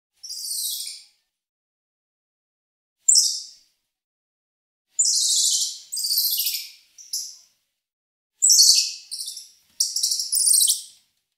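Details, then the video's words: Squirrel monkey making thin, very high-pitched squealing bursts, each under a second, in irregular bouts separated by silence, with some paired squeaks close together. "Squirrel Monkey Sound"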